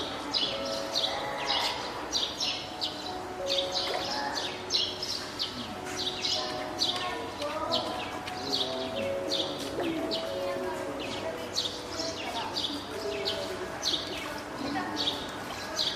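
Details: Spotted seal pup, a hand-reared female born 19 April, calls loudly at Oga Aquarium on 9 May 2017, apparently summoning the keeper from hunger or to get onto land. Wobbling tonal wails recur throughout, with constant sharp high-pitched tapping bursts.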